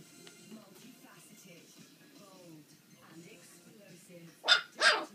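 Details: Playing puppies, four weeks and four days old: soft thin whimpers and squeaky wavering whines for several seconds, then two loud sudden yelps close together at the end.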